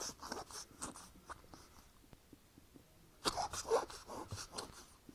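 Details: Sick female pet ferret with flu, indoors, coughing and sneezing: soft scattered breathy snorts early on, a quiet stretch, then a sharp explosive sneeze followed by a cluster of rough, noisy coughs and snuffles.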